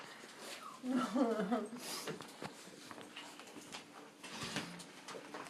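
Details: Four-week-old English Cream Golden Retriever puppies, born October 23, 2011, playing indoors just before lunch: a short burst of wavering, whiny little vocalizations around the first second and a half, then scuffling, faint squeaks and quiet room noise.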